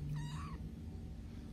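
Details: Playing kitten lets out one clear, wavering meow that rises then falls, about half a second long. A steady low hum runs under it, with a woman's voice nearby.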